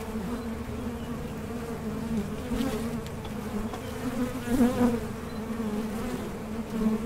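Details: Honey bees humming at a Mason jar honey super used for small-scale beekeeping, a constant deep drone with several brief louder passes of nearby bees.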